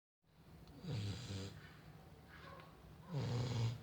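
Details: A female Chow Chow snores in deep, rumbling breaths with a raspy, snorting edge.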